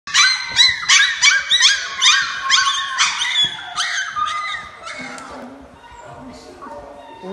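Siberian Husky puppies give high, quick whines and yelps that tumble over one another, then fade.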